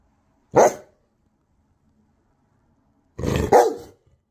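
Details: A Bernese Mountain Dog, after hearing weird sounds, barks at people walking past the house, giving a single deep, gruff bark, then a quick double bark a few seconds later.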